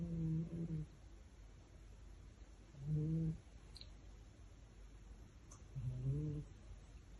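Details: A sleeping male Maine Coon cat indoors, cuddling a fish toy, snores in three low, droning breaths about every three seconds, each slightly wavering, with quiet room hush between.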